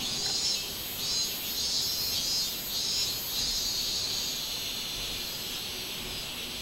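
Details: Robust cicada song from 24 July 2016: shrill pulsing bursts in the first half that fade to a softer continuous hiss toward the end.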